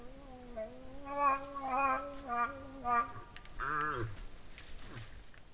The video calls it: Orignal vocalise des orignaux!